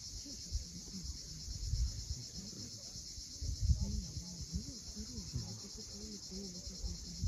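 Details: High, steady cicada drone at sunset over the sea at Cape Fiolent, Crimea, partly masked by loud low surges of surf and gusty rumble.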